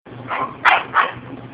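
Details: Jack Russell Terrier stuck under a garage door gives three quick, sharp barks in just over a second, the middle one loudest, with a faint background hum.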